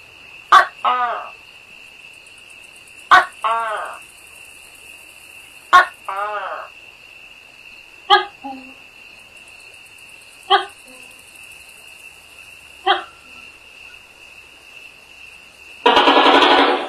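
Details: Tokay gecko calling at night in India: a series of two-part barking calls, a sharp click then a throaty harmonic note, repeated about every two and a half seconds, seven times, growing weaker. A steady high insect-like tone runs throughout, with a loud noise burst at the end.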